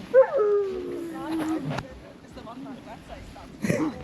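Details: A husky sled dog at a winter tour in Ogre, Latvia, around -13°C, lets out a high yelp that slides into a long, falling, tonal whine. A shorter whimper follows, with people's voices and laughter close by.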